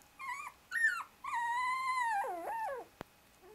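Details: Shiba Inu puppies, 24 days old, a brother struggling to escape from beneath his two sisters who use him as a pillow; drawn-out high whines and yelps, some wavering and sliding downward, in several bursts, indoors and quiet.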